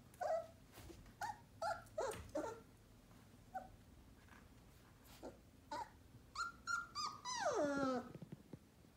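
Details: One-month-old Sheepadoodle puppy indoors giving a run of short high whimpers and yelps with squeaky harmonic tones, ending in a long falling whine, calls coming in quick irregular bursts.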